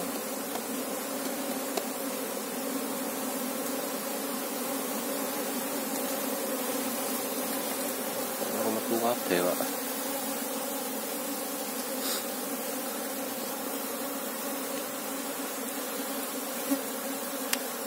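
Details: Apis cerana honey bee colony humming steadily as someone hunts for its queen; a thick, continuous droning buzz with a short burst of people talking midway and scattered ticks of handling.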